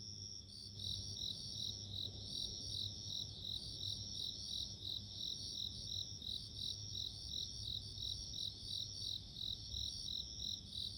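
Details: Bell cricket ringing in high, clear, bell-like pulses about three per second, very steady and repeated throughout, above a soft low rumble.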